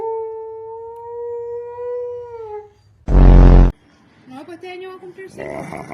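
A dog gives a long, steady, tonal howl, then a sudden harsh burst and varied wavering noises.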